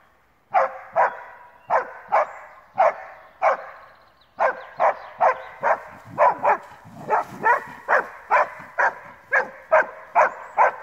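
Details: A male Alpine Dachsbracke baying at wild boar on his first boar encounter, having barked for about thirty minutes: steady, fast, hard barks in long runs, with faint rustling and movement under the middle stretch.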